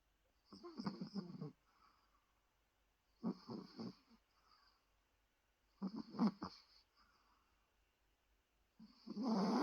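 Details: Ruso, a pet Chihuahua, snoring while very tired. Low, rasping, snorting breaths come in bursts roughly every two and a half to three seconds, four in all, with quiet pauses between them.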